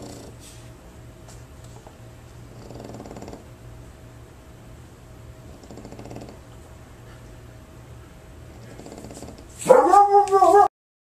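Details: French Bulldog asleep and snoring while staying at a board-and-train dog training facility. Soft raspy snores recur about every three seconds over a low hum, and the clip ends with a sudden loud, wavering whine-like vocalization.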